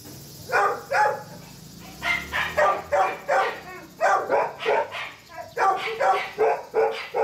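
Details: German Shepherd Dog puppy barking in rapid bursts, short high yappy barks repeated about three per second with brief pauses between runs, a faint steady high hiss in the background.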